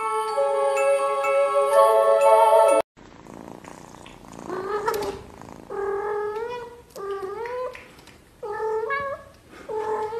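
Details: Kitten in a funny compilation of cute kittens, first a few seconds of music, then after a sharp cut a series of mid-pitched, drawn-out meows, some rising and bending, repeated roughly every second with short gaps.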